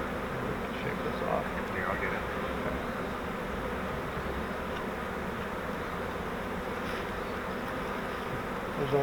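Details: Captured honeybee swarm from a flowerpot bait hive during transfer to a Langstroth hive: a continuous thick hum of many wings holds steady throughout, with brief faint human voice in the background.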